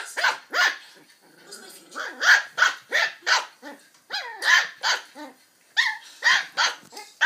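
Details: Archie, a Border Terrier puppy, takes on a Ribena carton in play: a rapid string of high, yappy barks with growly, squeaky yips between them, about twenty bursts in seven seconds with brief pauses.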